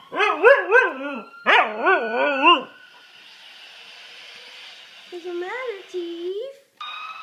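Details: Pet dog giving bursts of wavering, yodel-like howls with bouncing pitch in the first half, then a quieter stretch with a faint background tone, ending with a short rising and falling whine.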